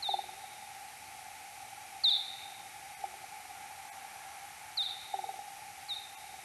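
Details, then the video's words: Slowed tenfold, search-phase calls from a Kuhl's pipistrelle, recorded 2022-07-06 at 03:59: four fainter down-sweeping chirps with flat tails, irregularly spaced, set against a steady hum and a few low clicks. "Pipistrellus kuhlii 2022-07-06 0359 (search-phase calls)"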